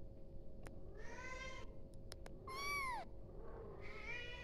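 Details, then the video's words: Calling to its mother, a kitten gives a quick series of three meows: a flat, strained cry, then a loud arched mew, then a higher rising one. A steady low hum and brief clicks sit underneath. "tiếng mèo con gọi mẹ"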